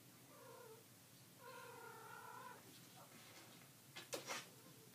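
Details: Dog whining indoors: two soft, steady, high whines, the second held over a second, followed by a few sharp clicking knocks.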